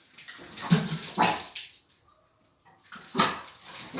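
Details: Dogs at a dog playground: a few short, sharp barks, two close together near the start and another after a brief quiet pause.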